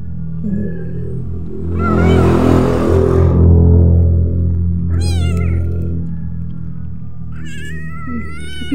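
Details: Domestic village cat mother nursing her own two kittens and two adopted ones; high, wavering meows near the end over a low steady purr-like hum, with background music playing.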